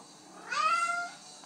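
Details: Thirsty female house cat meowing at night to be let drink from the sink, indoors; one drawn-out harmonic meow that rises then holds steady before fading, in a quiet room.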